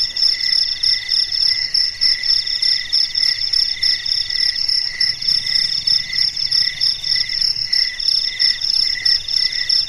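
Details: Melodious cricket chorus on a quiet dark night: continuous shrill, buzzy chirping in several stacked pitches, swelling and fading in regular pulses, otherwise silent.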